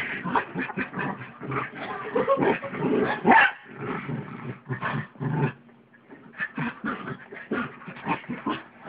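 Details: A pug and a mutt playing on a bed at home: busy growling and yipping for about five seconds, a short lull with a faint hum, then more quick snuffling growls.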